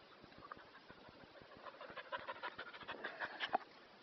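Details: Kerry Blue Terrier taking it easy on a very hot day, panting in rapid, shallow, breathy puffs of about three per second, growing louder and rougher toward the end, with faint indoor room sound.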